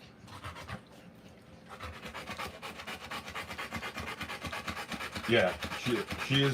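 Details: Panting from a Rottweiler giving birth to puppies, slower and uneven, rising in loudness midway. A human voice joins near the end with a few brief squeaky sounds.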